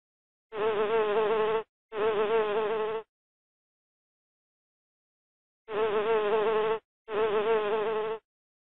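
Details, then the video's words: Bee buzzing in two pairs of steady, wavering hums about a second long each, separated by a long silent gap; a low droning tone with a rich stack of overtones. "tiếng kêu của con ong"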